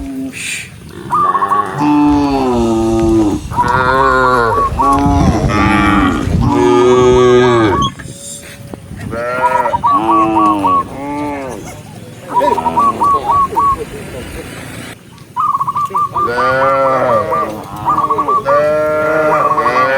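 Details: Dozens of tame cows moving in a herd along a forest path looking for green grass; frequent overlapping moos, some deep and some higher and strained, in clustered runs with brief pauses and repeated short chirping notes.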